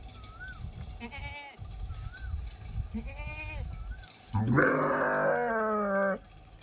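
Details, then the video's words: Sheep calling with a few short wavering bleats, then one long, loud, harmonic-rich bleat held for nearly two seconds, over low background rumble. "Very Cute Sound Of Sheep"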